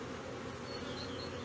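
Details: Honey bees at a hive in Brno, 2022, where an inserted queen cell was found chewed open after the colony's own queen cell hatched earlier; a dense, steady low hum with a strong drone around the low pitches and faint high chirps.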